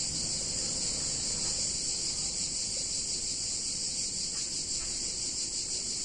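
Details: Cicadas singing on a hot summer day in a picturesque Italian town: a steady, dense, high-pitched buzzing drone that never breaks, with faint low background rumble beneath.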